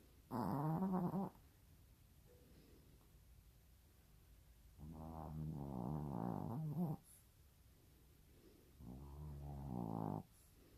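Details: Sleeping pet dog snoring at home: three rough, throaty snores, each about a second or longer, spaced three to four seconds apart with soft breathing in the quiet between them.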